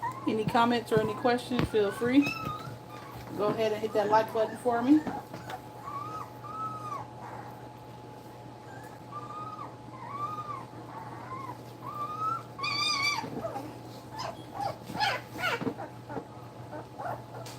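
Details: German Shepherd puppies, two weeks old, squealing and whining while nursing indoors: loud overlapping harmonic cries at first, then a string of short arched whimpers about a second apart, ending in more shrill yelps under a constant low hum.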